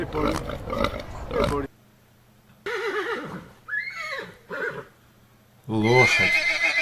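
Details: A domestic village horse gives a few shaky, wavering neighs that fall and rise in pitch, with a voice naming farm animals and rough noise before and after.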